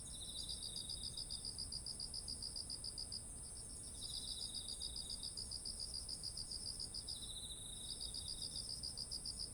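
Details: Autumn insects beside heavy-eared rice fields, recorded with a ZOOM H1essential: long runs of quick pulsed high chirping broken by brief pauses, a lower buzzing trill alternating in, all over a steady shrill whine.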